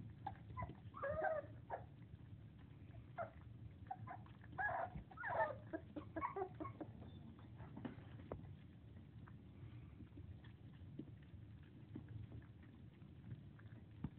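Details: Four-week-old English Springer Spaniel puppies, eating and playing, give short, high squeaks and whines in scattered bursts over a low steady hum.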